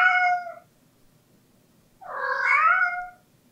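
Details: Latte, a pet cat, gives its once-a-day drawn-out 'aengung' cry, often made in front of doors: two loud harmonic meows, the second longer and wavering, separated by a quiet gap.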